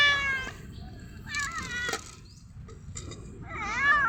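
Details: Stray cat, stopped from chasing a bird by the sight of food, gives three meows: a clear falling one at the start, a shorter one midway, then a wavering, warbling meow at the end, with a few sharp clicks between.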